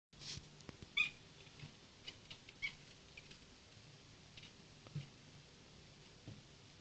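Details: A kitten making funny sounds indoors: a few short, high, thin squeaks and chirps scattered over several seconds, separated by quiet gaps with faint rustling and soft room noise.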